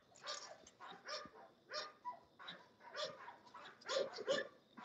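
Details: English Bulldogs at a kennel, several male dogs, give a run of short, rough barks about every half second. The barks are fairly faint, with a murmur of background noise between them.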